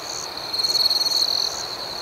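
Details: A cricket at night gives a loud, high, rapidly pulsing trill lasting about a second, rising out of a continuous shrill chorus of other crickets.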